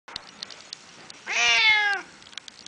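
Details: Grumpy female house cat, about 20 years old, giving a single drawn-out meow lasting under a second that dips at the end, in a quiet room with a few faint clicks.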